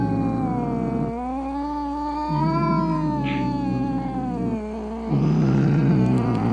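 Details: Furious cat giving angry meows meant to drive away rats, opossums and rival cats: long wailing yowls that swell and sag in pitch, three drawn-out cries in a row over a steady low hum.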